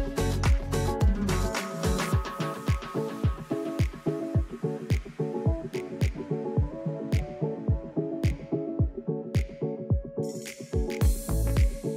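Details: Electronic music with a thumping bass beat about every half second and layered synth tones; no animal sound is heard.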